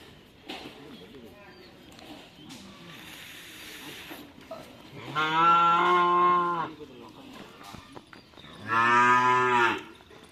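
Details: Cattle mooing during karapan sapi bull-racing practice in Madura, Indonesia; after a few seconds of low murmur and faint voices, two loud, sustained, richly harmonic moos, each roughly one and a half seconds long.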